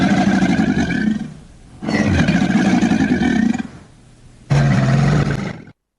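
An alligator gives three deep, rumbling bellows, each lasting over a second with short pauses between, low and rough like a drawn-out growl.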